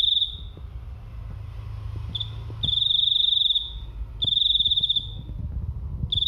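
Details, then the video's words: Loud little cricket producing a shrill, high, finely pulsed trill in bursts of about 1.5 seconds with uneven pauses, while low traffic-like rumble fills the background between bursts. "Suara jangkrik"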